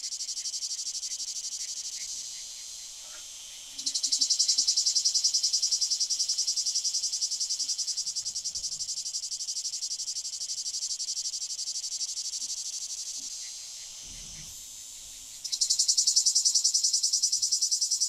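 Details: Lyristes plebejus, a singing male cicada, recorded 9 July 2022 in Fondon, Andalucia, Spain; a shrill pulsing buzz runs throughout, twice swelling abruptly into a louder, fuller rasp after quieter stretches.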